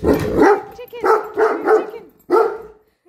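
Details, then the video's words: Great Dane objecting to a measuring tape barks four or five times in rapid succession, deep and forceful, about two barks per second, with slight voice overlap at the start. "Great Dane doesn't like measuring tape!"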